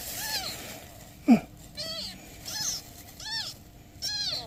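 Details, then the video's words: Newborn kittens with their mother cat, who is asking for help: about five high, arched, slightly wavering mews with strong harmonics, spaced roughly a second apart, with one short loud burst near the middle. "Mother cat ask for help! Newborn kittens meows"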